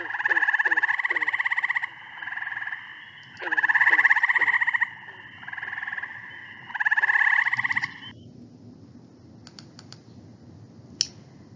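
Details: A gray treefrog gives loud, rich, slow-pulsed musical trills of one to two seconds with short pauses between, slower than Cope's gray treefrog; call difference only reliable with males calling at same temperature, as cool temperatures slow trills. Ohio.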